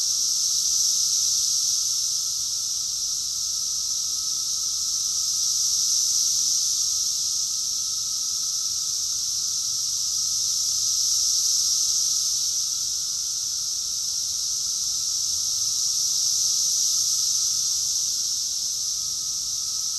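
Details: Summer chorus of many cicadas in Rockville, Maryland, USA, June 2021: a continuous shrill, buzzy wall of sound pulsing gently louder and softer roughly every five seconds, over a faint constant lower tone.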